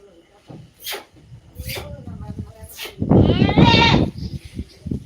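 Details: Native goat giving one loud, quavering bleat lasting about a second near the end, preceded by human speech and clattering farmyard sounds.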